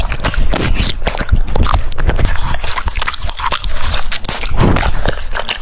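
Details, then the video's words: Crunchy, juicy chewing from a French Bulldog eating cucumber, with rapid crisp clicks and snaps repeating unevenly throughout. "The sound of chewing cucumbers"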